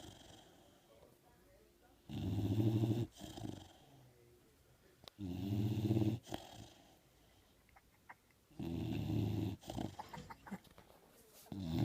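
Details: Pet dog asleep and snoring, three long rasping low snores about three seconds apart with quieter breathing between them, recorded indoors.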